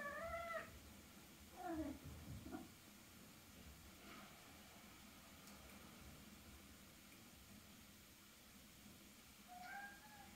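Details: Norwegian Forest Cat kept indoors in Switzerland, originally from Hungary: several short meows, a bent, falling call near the start and a rising meow at the end, with quiet room background between them.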